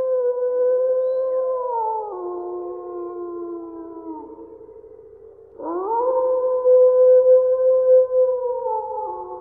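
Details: Overlapping wolf howls: two or more long, drawn-out voices hold steady pitches and slowly slide downward. A fresh howl swoops up at the halfway point and sustains loudly to the end, in a clean, quiet setting.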